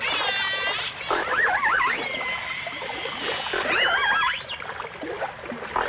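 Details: Dolphins and orcas from a 1989 stereo recording: overlapping whistles, some wavering rapidly up and down, others long steady tones rich in overtones, with a swooping upward glide near the end over a soft underwater hiss.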